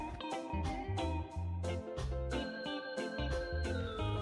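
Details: Organ-like keyboard music with pulsing bass notes and rhythmic percussion plays throughout, with no animal sound.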